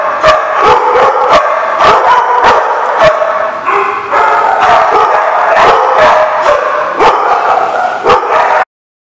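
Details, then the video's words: Dogs barking and yipping in a dense overlapping chorus, sharp barks coming in quick irregular bursts, ending abruptly in silence. "The Barking Lot"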